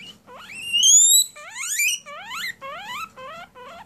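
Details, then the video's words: Pet guinea pig named Oreo crying for attention indoors: a run of about six loud whistled squeals, each sweeping sharply upward, the longest and highest near one second, later ones shorter and quicker, with a faint low hum beneath. "Guinea pig cry"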